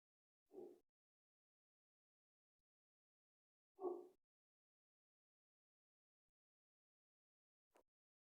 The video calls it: Two minutes and fifty nine seconds of dog barking